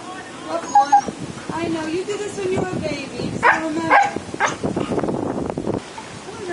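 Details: Siberian Husky Memphis, the older brother, howls jealously beside a big pool, wanting in while his 11-week-old sister swims. Wavering, drawn-out howls and whines rise and fall, overlapped by people talking and calling him down.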